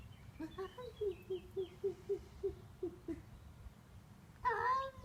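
A Devon Rex cat makes a rapid series of soft, clipped chirps, about four each second, that fade out. After a short pause it lets out one louder, wavering meow that rises and falls.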